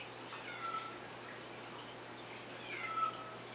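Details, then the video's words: Kitten heard in the background indoors while someone decorates a cake: two short, thin, high meows, one early and one near the end, over a steady low hum and quiet room noise. "and I'm sure you can hear the little kitty cat there"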